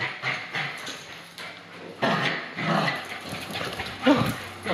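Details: Bichon Frise teasing its leashed companion during play; gruff barks and growly yaps rise and fall in short bursts, with a low whine underneath and a person speaking nearby.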